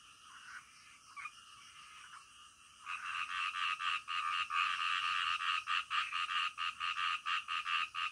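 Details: Frogs at night: after a quiet opening with a few scattered notes, loud pulsed croaks start up at about three seconds and repeat rapidly and rhythmically, more than two per second, through to the end.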